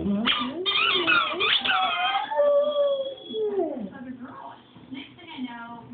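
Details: Chooch, a pet dog, singing: a burst of high wavering yips and yelps gives way to a sustained howled note that bends and falls, followed by softer trailing whines with people talking in the background.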